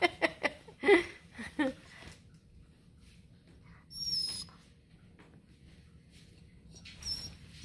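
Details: Bluetick Coonhound puppy with grey-blue eyes, from a breeder in Ontario, Canada, excited over a treat bone: a burst of short, high, squealing whines in the first two seconds, then quieter rustling with a few faint squeaks.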